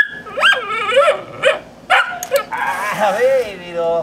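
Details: A dog gives a run of wavering, whiny yelps and drawn-out moaning vocalizations, rising and falling in pitch, several in quick succession and ending in a longer wobbling whine.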